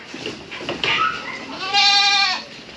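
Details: Pet goat kid on a farm: after soft background rustling, one loud, wavering, nasal bleat of about half a second rings out near the end.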